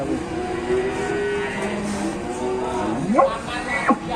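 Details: A very fat cow in its pen gives loud, drawn-out moos with harmonic bands, then sharp rising and falling cries; the owner wonders if it is hungry.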